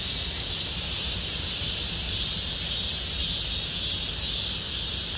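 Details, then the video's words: Cicadas in chorus in Gomsol Nuri Forest, Siheung district, South Korea, in deepening summer; a steady, dense high-pitched buzzing hum fills the woods without pause, with faint low rumble beneath. "곰솔누리숲의 매미소리 Cicada sound of Gomsol Nuri Forest"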